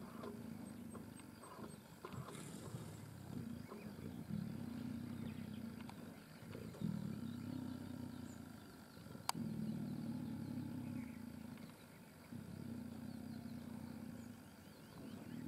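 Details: Three adult Sri Lankan leopards feeding together on a carcass in Yala National Park, Sri Lanka, growling at each other over the best spot: long, low rumbling growls in sustained bouts, broken by short pauses, with faint insect hum and a distant engine.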